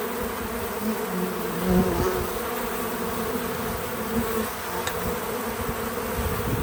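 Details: Bees visiting a feeder give an unbroken buzzing drone. One bee flies close around 1.8 seconds and swells louder, and another passes near 4.2 seconds.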